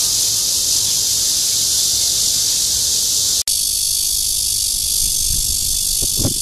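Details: At Guangming Park in Zhongli, Taiwan, 28 June 2013, a red-veined bear cicada courting: a dense, shrill buzz runs continuously, broken by one instant of silence, then resumes with soft low thumps near the end.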